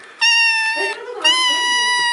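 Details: Domestic cat meowing loudly indoors: two long, steady, strongly harmonic meows in quick succession, with a woman's voice faintly underneath.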